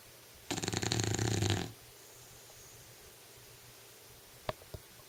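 An English Bulldog lets out a single harsh, fluttering snore, a low rattle lasting just over a second. Afterward the room falls quiet apart from a couple of soft clicks.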